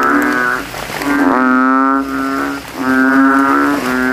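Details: Banded bullfrog chorus at night after rain, males with ballooning throats competing in a puddle; long, resonant, deep moaning tones with rich overtones, one swelling call following another.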